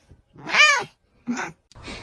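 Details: Domestic cat giving a short arched meow that rises then falls, followed by two brief softer calls; quiet room, no other clear sounds.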